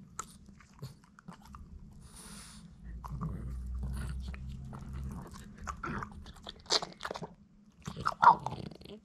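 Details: A Boston Terrier named Hiro crunches and chews hard little duck-bone treats, with sharp irregular bites over a low indoor hum.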